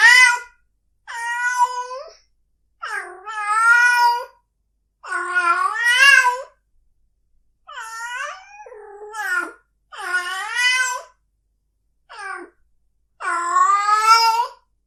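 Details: Mating-season cat yowls: eight or so loud, bent meows of uneven length, some climbing then dropping, others short and clipped, following each other with brief pauses and no other sounds.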